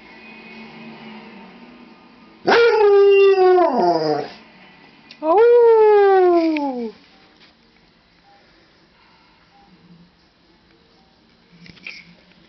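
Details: Domestic dog howling back and forth with its owner at home: two drawn-out howls, each sliding steadily downward and lasting around one and a half seconds, separated by a short gap, followed by quiet.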